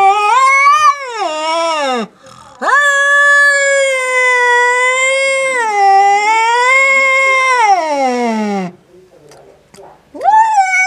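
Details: Male domestic cat furious at a black cat resting outside lets out loud, warbling caterwauls: a short rising-falling cry, then a long wavering wail that drops into a low growl, and another rising cry after a brief silence.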